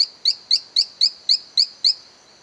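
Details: Silverstoneia flotator, a small frog, calling from an abandoned cacao plantation in La Gamba, Costa Rica: a fast series of eight sharp, high peeping notes about a quarter second apart, each rising slightly, then stopping.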